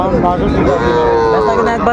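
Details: Sahiwal bull calf at Raniganj market in Dinajpur on 19 August 2024: a drawn-out, level, tonal moo lasting about a second, over busy market chatter, a man asking a price, and vehicle hum.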